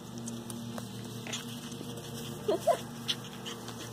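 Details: Miniature Schnauzer puppies, 9 weeks old, named Windy, Breezy and Stormy: a few short high whimpering yelps cluster mid-clip over a steady background hum, with a woman greeting the puppies by name.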